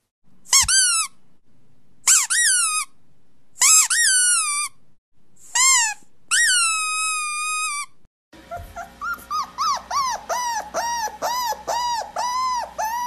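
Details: Toy Poodle puppy giving high, drawn-out whining squeals, five separate cries with falling tails over the first eight seconds, then a quick run of short, bouncing yelps against a noisy background.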